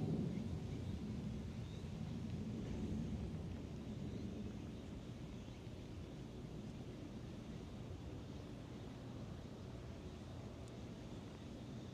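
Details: Low, continuous engine-like rumble that slowly fades outdoors, with no animal voice heard.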